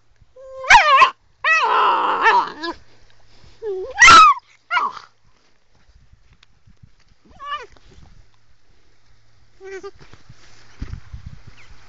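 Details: Young female Sloughi, an angry pet puppy, lets out several loud rising-and-falling yelps and a longer whiny bark in the first five seconds, then quieter, scattered yips over a faint background hum.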